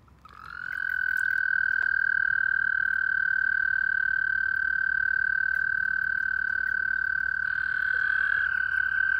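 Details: Toads calling at night during spring mating in a wildlife pond, April 2019: a steady, sustained trill holding one even pitch, starting after half a second and running unbroken to the end, with a slight shift in tone near the close.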